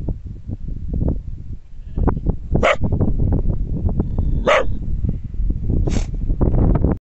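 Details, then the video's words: A border collie in a mountain valley barks sharply at its own echo, the barks widely spaced, over a heavy rumble of wind. "border collie barking at self on a mountain valley"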